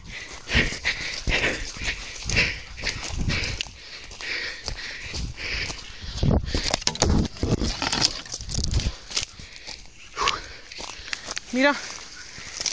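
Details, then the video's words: Mira, a Beagle, on her first roe deer encounter (rådyrlos); hoarse barks come in uneven bursts, then a brief wavering whine near the end, over steady rustling and thumping outdoor noise. "Beagle's første rådyrlos"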